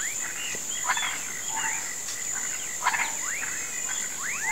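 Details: Frogs and toads croaking in a swamp at sunset, calling for rain in rural Brazil; short rising swooping notes overlap with broadband clicks, over a steady high insect drone.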